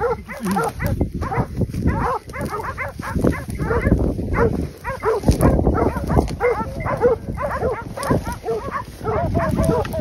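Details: Hunting dogs hold a group of wild boar at bay during the Battuta Caolaccio drive hunt in Pratomagno, Arezzo, Italy. They give dense, overlapping barks and yelps, rapid and continuous for ten seconds, with men's voices faintly underneath.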